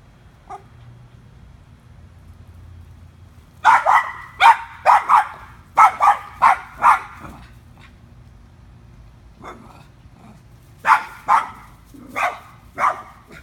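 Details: Daphne the dog, eager for a squirrel in a tree, barks in irregular bursts: a fast string of sharp barks, a pause, then another volley, with a low steady hum underneath.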